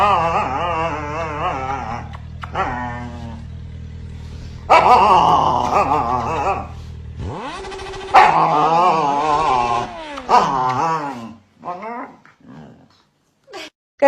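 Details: Husky dog vocalizing in a string of wavering, howl-like, talkative cries that rise and fall in pitch, delivered in several bursts with short pauses, ending in a few brief yips.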